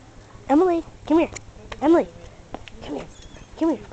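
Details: Female husky/wolf mix known for 'talking': four drawn-out, moaning yowls, each arching up then down in pitch and lasting about a third of a second, separated by short pauses, with a few softer sounds between and faint background hum.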